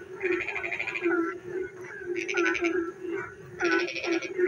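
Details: Frogs calling at night during rain: three harsh, buzzy pulsed trills of under a second each, set against a continuous low droning chorus and scattered quick chirps.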